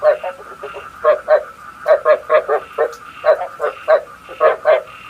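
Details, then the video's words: Frog decoy call meant for night trapping: paired and tripled hoarse croaks spaced about half a second apart, over a constant thin whine in the background. "Tiếng ếch mồi chuẩn 99,99% cho ae bẫy đêm tham khảo"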